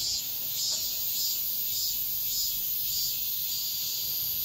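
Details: Cicadas at dawn in midsummer sing in a dense, shrill buzzing chorus that swells and fades in quick, regular pulses.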